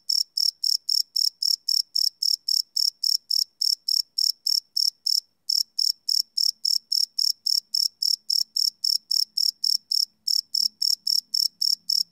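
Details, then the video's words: Crickets chirping at night, recorded live on a Sony PCM D100 field recorder: loud, regular high-pitched pulses about four per second, with a brief pause near five seconds and a faint low hum toward the end. "Cricket Chirp Sound - Cricket Sounds at Night"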